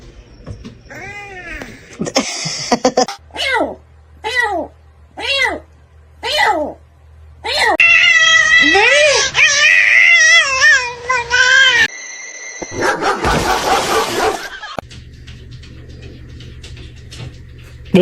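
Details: Domestic cat giving six short arched meows about a second apart, then a longer, louder run of wavering yowling meows, ending with a harsh burst of noise and faint background sounds; a person scolds nearby.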